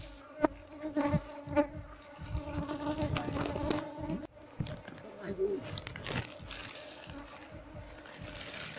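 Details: Combs being taken from an Apis cerana colony lodged under a septic tank, bees humming in a low steady drone with a higher overtone, overlaid by repeated taps, scrapes and bumps of handling.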